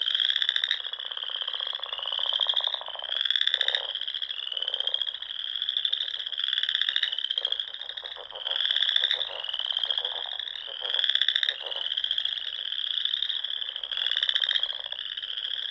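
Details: In the Nebraska Sandhills in spring, many frogs call together at dusk around ponds, forming a steady shrill trilling wall with pulsed bursts surging roughly every second or two.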